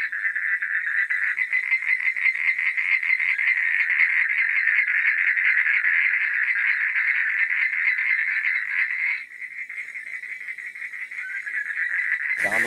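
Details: Evening frog chorus at night: rapid, raspy pulsed calls from numerous frogs overlapping continuously, quieter after the middle, ending in an abrupt sharp noise.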